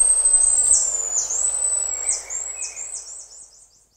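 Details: Buffy-headed marmoset contact calls from close range: a long high whistle, then dipping slurred notes that speed into a rapid run of short sweeps and fade out. Soft lower tones appear midway.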